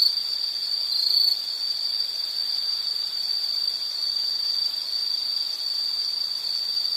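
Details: An insect sings an unbroken, even, piercing high note for the whole stretch, with almost no change in loudness.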